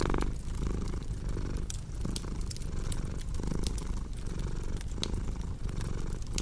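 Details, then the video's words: A cat's low, vibrating purr rising and falling in rhythmic breaths about every second and a half, punctuated by bright pops of burning fireplace wood. "Purring Cat with Cozy Crackling Fireplace Sound"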